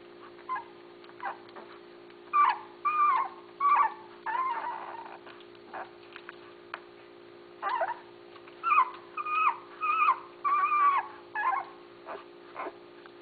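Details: Basset Hound puppies from Mia and Tucker's litter, recorded June 6, 2013: high, tonal whines and whimpers, some rising then falling, in bursts of several calls about every half second. A steady electrical hum runs underneath.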